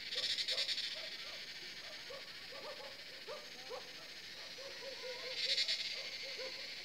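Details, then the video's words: Cicada chorus from the forest at Jabbarkhet Estate as the sun goes down, about seven in the evening: a high buzzing drone with two louder pulsing bursts at start and end, plus frequent low, clipped croaking notes. "Cicada sound in forest"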